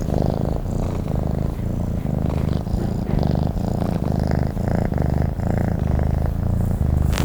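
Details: Sleeping domestic cat purring steadily: a deep, rumbling low drone pulsing in a regular breathing rhythm, one rise and fall roughly every three-quarters of a second, with no other sounds intruding.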